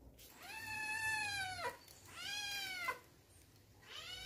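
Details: Kittens Biscuit and Cream meowing loudly in excitement for a new delicious treat: two long, clear, arching meows, each about a second, rising then falling away, with a third starting at the end; quiet background.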